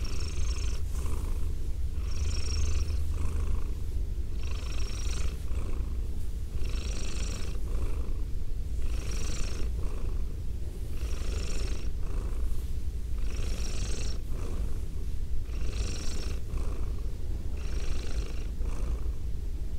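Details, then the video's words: Continuous deep purr from a female domestic cat, captured with binaural microphones; the low drone is overlaid by rhythmic airy breaths about once a second, with no other sounds. "ASMR Cat Sounds - Soft-Spoken, Purring, Licking, Petting"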